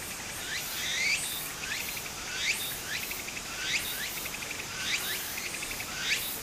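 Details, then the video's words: Cicadas singing in Japanese summer beside a flowing stream: a buzzy high rasp pulsing in short rising sweeps roughly every 1.3 seconds, with a steady shimmering insect background and faint water. "小川の流れと蝉の声 自然音 ～夏～ Japan Sound of nature Cicada's voice"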